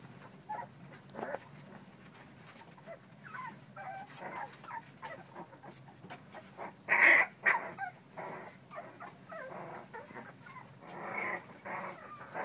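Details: American Bully puppies playing, giving short growls and whimpering yips in scattered bursts, one louder squeal near the middle, with clicks and scuffling between calls.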